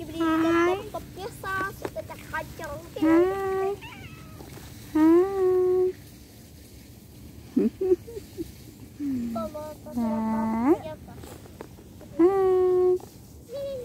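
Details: A pet cat meows repeatedly, said to be finding separation hard. Drawn-out, slightly rising meows come in separate bursts every two to three seconds, with short quiet gaps and faint clicks between them.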